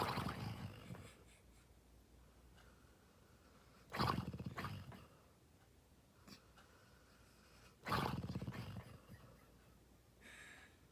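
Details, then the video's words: A sleeping dog snoring loudly: low rumbling breaths roughly every four seconds, each a rough, buzzy burst that swells and fades, with quiet gaps between. "Even Harley’s Snores Are Adorable"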